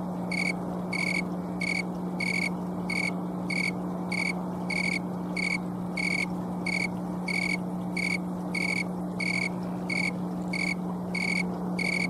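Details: Green tree cricket (Oecanthus fultoni, snowy tree cricket) singing on an October 2022 afternoon in Colorado, late in the season, filmed with a camcorder. Short high pure chirps repeat steadily, about nineteen in twelve seconds, over a constant low electrical hum.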